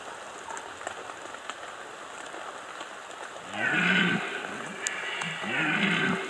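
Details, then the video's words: Rutting red deer in the Bieszczady, 2015: after a few quiet seconds of rain noise, two gruff roars follow in quick succession, each under a second long, coarse and throaty. "Rykowisko 2015 Bieszczady - Red Deer rut"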